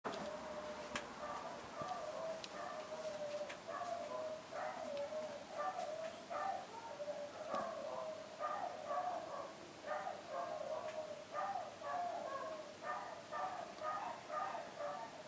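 Dogs bark and yip in a steady stream of short, mid-pitched, overlapping bursts.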